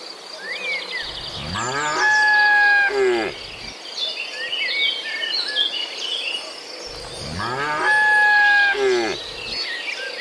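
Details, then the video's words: Tame cattle in a herd of dozens, walking along a mountain road toward green pasture after leaving the barn, rain puddles on the way: two long, loud harmonic moos, each about two seconds, with insects buzzing and birds chirping throughout. "Suara sapi moo"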